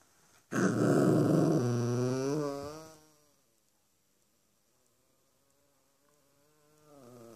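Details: Bentley, a 4-month-old Cavalier King Charles Spaniel puppy, is bad tempered because he wants bedtime on the human's furniture instead of his dog bed. A loud, rough growl lasts about two seconds and slides into fading, wavering tones, then near silence, with a faint stir at the end.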